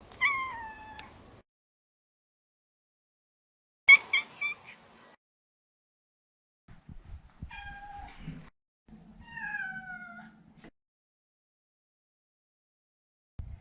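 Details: A house Maine Coon named Maro, neutered male, meows in separate bursts: a falling meow, a sharp short one, then two more drawn-out descending meows, with soft low rustling and knocks between calls.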